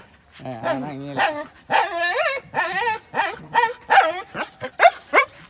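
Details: Thai Bangkaew dogs Bai Tong, Bai Toei and Thang Thong, romping and running about playfully, give a burst of high, wavering whines and yelping yips, each rising and falling, packed close together over several seconds, with people's voices calling among them.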